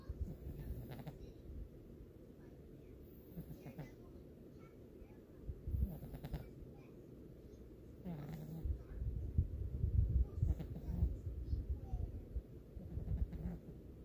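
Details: Karmey, an eleven-year-old cat, snoring: low, rough rumbling breaths recurring roughly every two to two and a half seconds, growing louder and denser in the second half, with a quiet indoor background.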